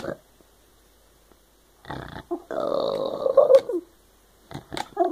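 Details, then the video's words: Shiba Inu dog talking, a brief grunt followed by a long, moaning, howl-like vocal lasting about a second and a half, then short yips near the end. "Shiba talking"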